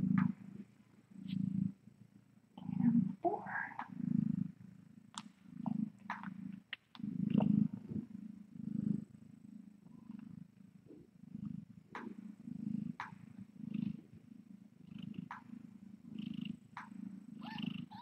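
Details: Domestic cat at a kitten rescue, filmed by a live-streaming room camera late at night: a steady low purr pulsing through the whole clip, about 45 throbs a minute, with faint clicks and scattered higher rustles, and a brief quiet voice near the start.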